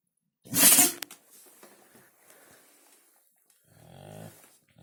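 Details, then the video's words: Siberian Husky sneezing indoors from a tickle in its nose: one sharp, explosive burst of hissing air, then faint rustling and a short low snort near the end. "Собака чихает/Хаски чихает"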